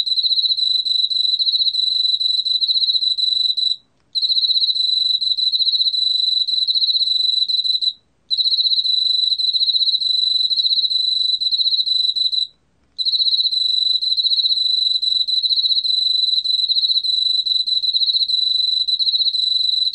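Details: An Emma field cricket (Teleogryllus emma), recorded in 2020, sings a steady, high, ringing trill, broken by brief pauses every few seconds.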